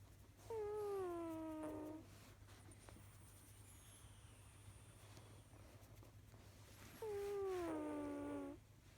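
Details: Snoring from Kojiro, a pet cat: two whistly, humming tones, each about 1.5 seconds long and slightly falling, roughly six seconds apart with quiet breathing pauses between, and a low background hum throughout.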